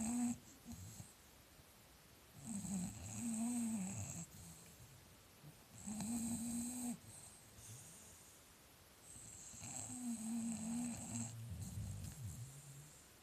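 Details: English Bulldogs snoring against each other: long, grinding low snores, roughly one every three to four seconds, each lasting over a second and carrying a faint whistling overtone, separated by quiet breathing pauses.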